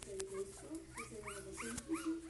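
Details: Lhasa Apso puppies give a string of five short, high, arched whimpers, roughly one every half second, over a steady low hum and faint background sounds.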